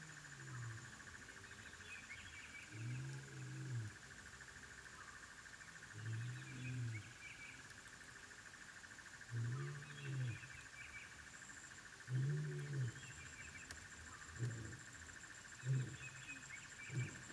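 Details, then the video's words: African wild dog puppies at their den: low, tonal calls with stacked harmonics, given in spaced bursts about every three seconds, over a steady high insect drone and scattered bird chirps. "The sounds of African wild dog puppies at their den"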